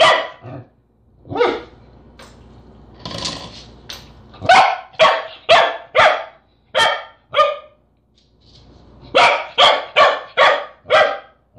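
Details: Corgi barking at a peanut butter jar it cannot open: a long series of sharp, harmonic-rich barks, irregular at first, then rapid runs of four and five barks in close succession.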